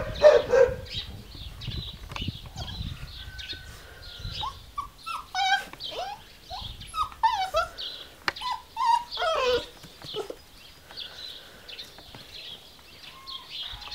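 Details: Giant Schnauzer whining and whimpering in thin, high tonal cries, some short and rising, with a few soft huffs and bursts of rustling, clattering handling noise throughout.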